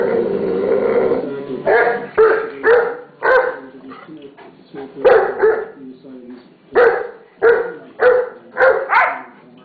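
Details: Bonnie, a Pit Bull, scolding a young mastiff called Zeus to make him behave. A run of about ten loud, gruff barks comes in clusters of two or three with short pauses, over a human voice and faint music.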